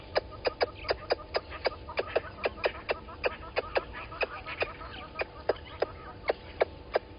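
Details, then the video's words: Squirrel scolding a water monitor lizard beneath the Gowrie dam camera, Djuma Game Reserve, Sabi Sand Wildtuin, South Africa, 11:45 on 10/04/20: loud, regular dry clicks about three to four per second, with faint chirps in the background. "Squirrel alarming at Water Monitor Lizard"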